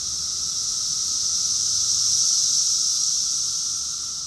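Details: Massed cicadas calling in Rockville, Maryland, USA, during summer, June 2021: a sustained piercing buzz that rises gradually to a peak and then tapers, with a weak constant lower-pitched drone in the background.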